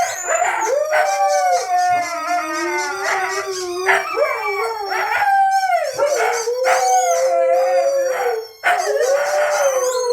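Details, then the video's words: Indoors, pet Siberian Huskies sing along to a squeaky toy: sustained, undulating howls from more than one dog, rising and falling and overlapping, with short yelps breaking in between the drawn-out notes. "Their Squeaky Toy Make Them Howl Lately"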